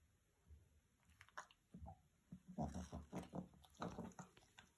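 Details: A Boston Terrier puppy gives low, snorting grunts and grumbles in uneven bursts while pestering his roommate and not letting him sleep.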